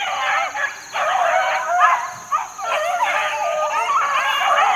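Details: Several four-month-old Beagle pups, out in the wild during 2013 training, give loud drawn-out bays and yelps that rise and fall. The voices overlap with brief gaps, over a constant high-pitched hum.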